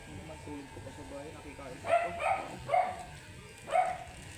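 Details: Angry, matted Shih Tzu during grooming: a person talks quietly at first, then the dog gives four sharp, high yaps, three in quick succession and one more after a short pause.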